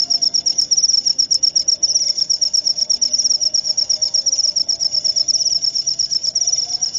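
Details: Cricket calling for insomnia relief and to drive rats away; fast, evenly repeated high-pitched pulses form a continuous trill for the whole stretch, a soft low tone humming in the background.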